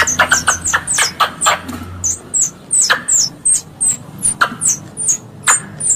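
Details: Squirrel chatter for luring prey while hunting: a rapid burst of squeaky chips opens, then the high, sharply falling squeaks continue at wider, fairly regular spacing.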